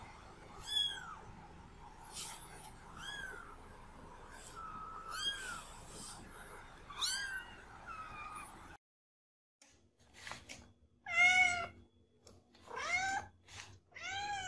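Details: Cats and kittens meowing in a compilation: many short, arched mews in quick succession, some high and thin, with a brief silent cut midway before a burst of louder, overlapping cries.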